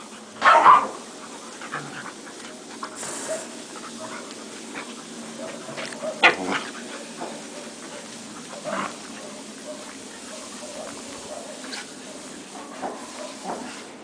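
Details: Six-month-old Akita Inu playing with another dog and some puppies; a few short, sharp barks stand out, one loud burst near the start and others spaced several seconds apart, over low scuffling and background noise.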